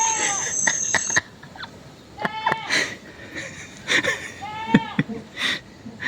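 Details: Goat bleating in short, harmonic-rich, wavering calls, two clear ones spaced about two seconds apart midway and near the end, with a steady high whine during the first second and scattered clicks and rustling.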